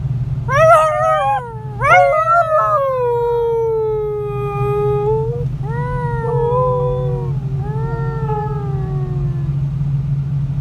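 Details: A year-and-a-half-old Siberian Husky joins people singing to the car radio on the road in Ekaterinburg, Russia, on 26 January 2018. Two sharp yelping onsets lead into long, slowly falling howls, followed by shorter wavering notes, over constant low engine drone.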